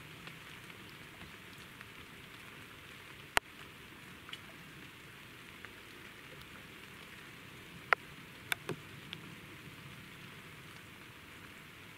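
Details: Steady hiss of light rain with a few sharp drip-like ticks scattered through; no animal voice stands out.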